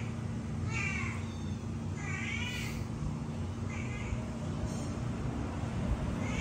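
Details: Three kittens calling out for milk, giving a run of four thin, wavering mews about a second apart, some rising then falling, with a constant low mechanical hum underneath.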